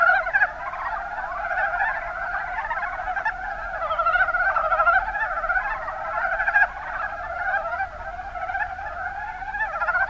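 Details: Many Mountain brown frogs (Rana ornativentris) call at once in the Kuma Basin of Kumamoto, Japan, giving a dense, continuous mass of fast, knocking chuckle-trills with a few louder individual notes.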